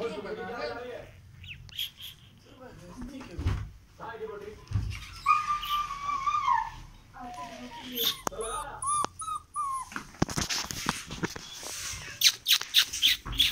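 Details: German shepherd puppy and rottweiler puppy in aggressive play: rising whimpering whines and throaty growls come in quick bursts, mixed with high squeaks, thumps and scuffling, plus faint human voices.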